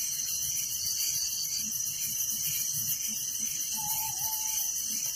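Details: Crickets at night in a village chirp in a steady shimmering high trill with a lower pulsed band, joined midway by a brief level whistled tone.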